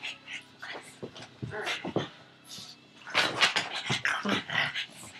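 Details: Frankie the pug going after a tug toy, with quick rough huffs and snorts that grow louder in the second half, a low growl-like rasp, and brief human speech mixed in.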